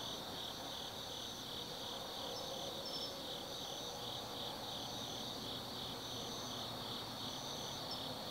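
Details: Forest insects of autumn calling after dark at Tsukimi no Mori above the Nobi Plain, Japan: dense, even high trilling with a faster beating layer and occasional sharp chirps, a soft low drone underneath.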